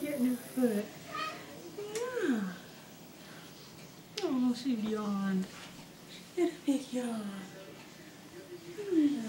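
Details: Indoor scene with Sidney, a tiny dwarf Maine Coon kitten, and other cats: drawn-out, wavering meows that bend downward, in irregular bursts, mixed with a person speaking over them.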